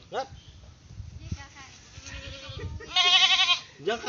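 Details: Mischievous pet goat letting out one loud, quavering bleat lasting about half a second after quieter murmuring, then a brief rising call at the end.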